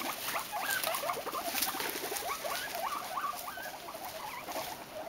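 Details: Three pet guinea pigs settling into a modified Snak Shak hideout with two enlarged entrances; quick squeaky chirps and chattering notes tumble over each other, with light pattering of feet and bedding throughout.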